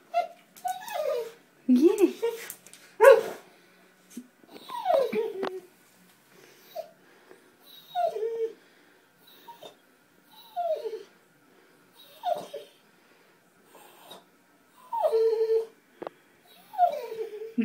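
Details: Springer spaniel, a pet female named Abby, indoors by a bathtub trying to catch a water bug; short high whimpers and yips at intervals of a second or two, with a person urging her on between them.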